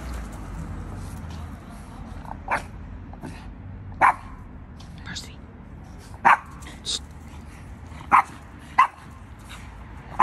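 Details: In the United States, a Boston Terrier encountering a Christmas snowman gives brief, punchy barks at uneven intervals, some single and some in fast pairs, over a low, steady background murmur.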